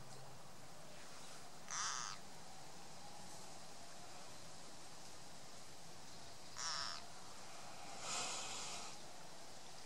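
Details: Distress cries of a green frog caught and eaten by a grass snake: three short, rasping screams, the first alone, then two more close together several seconds later, against faint steady background noise.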